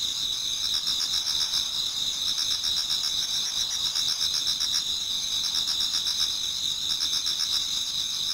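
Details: Autumn insects in a Japanese garden near dawn, many singing together: continuous shrill trills overlaid by rhythmic pulsing chirps that come in short repeated runs.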